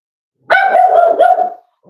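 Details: Home-raised Cavalier King Charles Spaniel pup, almost 8 weeks old, lets out one long, steady, tonal whine with small pulsing breaks, then a short rising start of another cry as it ends.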